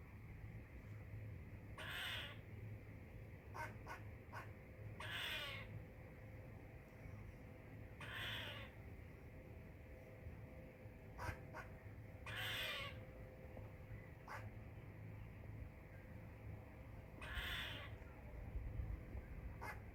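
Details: Squirrel chirping: five rasping, noisy bursts several seconds apart, separated by scattered clicks, over a constant low rumble and hiss.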